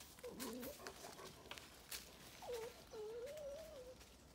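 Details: Two dogs, Bear and Maya, whine excitedly at an animal hole in a decomposing tree on a farm in County Kilkenny, Ireland; several thin, wavering high whines, the longest rising and falling over a second, amid outdoor rustling.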